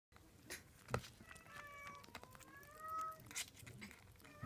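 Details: Munchkin kitten, 37 days old, indoors, making a string of faint, thin, drawn-out mewing tones over steady room noise and soft handling sounds.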